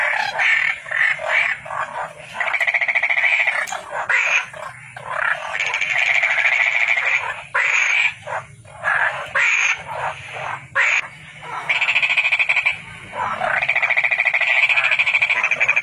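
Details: Toad calling repeatedly, long rattling trills of quick pulses rising and stopping every few seconds, with overlapping softer trills and some low background rumble.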